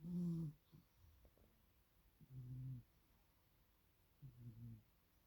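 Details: Sleeping domestic cat snoring indoors: three low, rumbling breaths roughly two seconds apart, each lasting about half a second, with quiet pauses between them.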